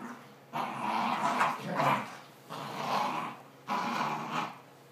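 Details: Pair of dogs in a game of tug over a toy made from old t-shirts; three long rumbling, noisy growls, each lasting about a second, separated by short pauses.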